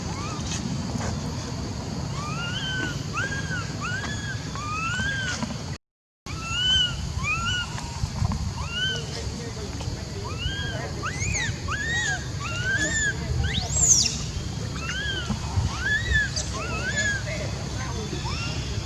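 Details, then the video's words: Several monkeys trading short, tonal, arch-shaped calls in quick succession, some overlapping, with a brief silent gap partway and a continuous low background hum throughout. "Emergency Sound ! Filming Very Frighten While Hear Horrible Sound Like This, What Is Wrong On Monkey"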